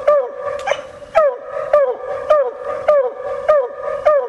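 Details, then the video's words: Coon hunting with a female Bluetick Coonhound: clear, resonant barks repeated about every 0.6 seconds, each sliding down in pitch, with strong overtones and little background noise. "Coon Hunting With A Bluetick Hound"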